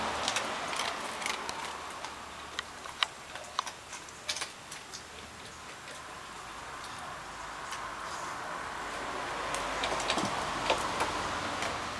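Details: Irregular sharp ticking and clicking sounds are heard over a rising hiss of background noise.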